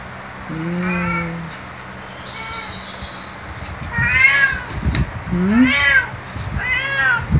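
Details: Luna the black cat, a male pet, greets a companion on waking with a series of meows: a long low drawn-out one, a thin high squeak, then three quick bright arching meows over soft human voices.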